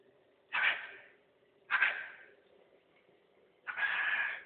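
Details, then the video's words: Husky communicating with its owner indoors: three loud, harsh, drawn-out yowling calls about a second apart, the last the longest, followed by a person calling a name. "Husky's communication"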